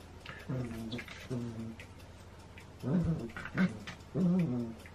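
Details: Two Shetland Sheepdogs playing together indoors, recorded 28 January 2016; low, rumbling growl-grumbles come in short harmonic bursts with brief pauses between them.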